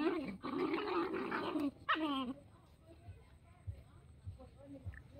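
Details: Playing puppies together with a dog: a rough, sustained play growl for over a second, then a sharp yelping whine, after which the sound fades to soft background noise with faint thumps.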